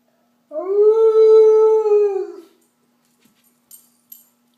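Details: An Alaskan Malamute howls along with an ambulance siren, a single long, steady howl that swells in and fades away.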